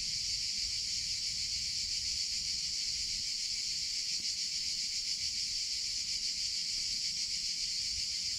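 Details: Summer cicadas produce a steady, high-pitched electric buzz that never pauses, with a faint pulsing texture running through it and a low rumble of background noise underneath.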